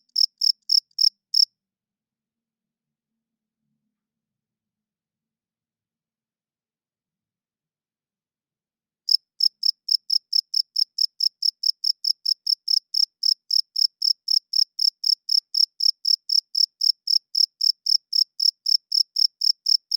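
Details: Cricket chirping loudly at night, made by the male rubbing his wings together: a short burst of shrill, evenly spaced pulses, about seven seconds of complete silence, then a steady run of high chirps, nearly four per second, with no other sounds.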